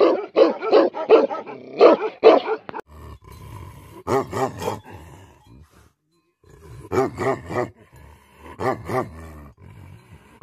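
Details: Several quick barks from angry Tibetan Mastiffs (Bhote Kukur) are followed by spaced groups of deep, drawn-out barks with rough, roaring tones, separated by quieter gaps.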